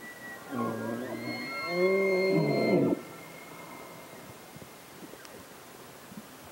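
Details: Bull elk in mating season bugling: a long, high whistled tone held for about three seconds over lower grunting, layered harmonic bellows that swell and then cut off, followed by quiet background.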